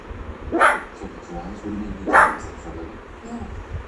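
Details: Pet Shih Tzu named Honey barking while watching the Transformers movie indoors: two sharp, short barks about one and a half seconds apart, with movie dialogue and soundtrack murmuring underneath.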